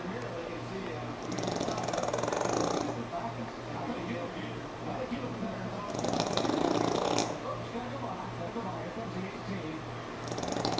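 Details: Sammi, a pug, asleep while NASCAR plays: broad, rasping snores swell up roughly every four seconds, each lasting about a second, over murmuring broadcast voices and a steady low hum.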